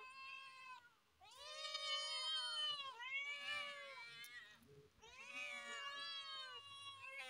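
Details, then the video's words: Cats meowing loudly on top of a car: three long, drawn-out, wailing meows with strong harmonics, each rising then falling, nearly back to back over seven seconds. "cute cats meowing loudly on top of a car"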